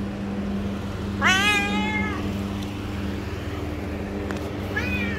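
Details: A pet cat gives one clear rising-then-falling meow lasting about a second, then a short second meow begins near the end; a steady low hum runs underneath and a woman speaks Hindi around it.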